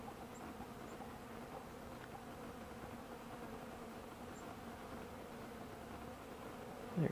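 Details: Bees out flying on a 65-degree December 2, 2012, collecting honey thinned with water and old cappings put out by their keeper; a continuous low droning hum throughout, with a soft knock at the very end.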